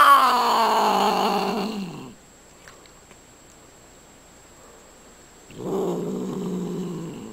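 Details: House cat from a cat fight compilation utters a loud descending yowl, falls silent for three seconds, then resumes with a low, growling moan.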